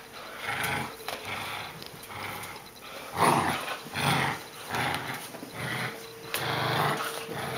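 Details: Boerboel puppy growling during play; rough, throaty growls come in loud bursts about once a second, with irregular pauses and no other clear sounds.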